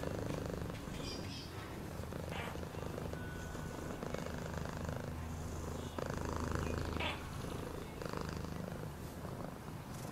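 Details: Continuous purring from a cat, a low throbbing drone that swells slightly midway, with light rustling and a few brief higher sounds above.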